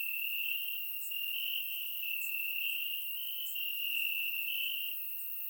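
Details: Grass crickets on a warm Bulgarian summer night, surround-microphone recording, give an almost even, ringing high-pitched trill with only slight shifts in loudness and a few faint higher ticks.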